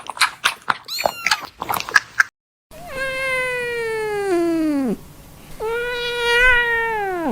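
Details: Newborn kittens meowing: a burst of short, quick squeaky calls, a brief silence, then two long drawn-out mews, the first sliding steadily downward and the second steadier and slightly wavering.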